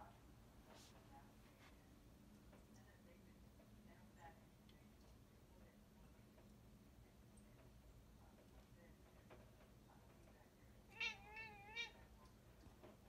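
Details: India, a female Bombay cat, sits by a window watching birds and chats at them; after quiet room hum, a short burst of two or three wavering, trilled chirps rises near the end.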